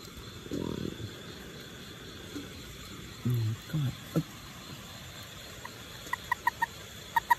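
A toad gives short, low, grunting croaks at night over a steady insect hum.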